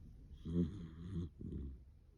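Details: Sleeping Dachshund snoring in a human-like way after snuffling nasal breaths: two low, rumbling, throaty snores with rough harmonics, the first louder and longer, followed by a softer third snore, in a quiet room.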